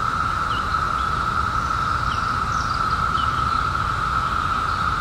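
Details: Periodical cicadas emerged in 2021 after 17 years underground, in a steady, unbroken high buzzing chorus that holds one even pitch for the whole stretch, with a few faint bird chirps above it.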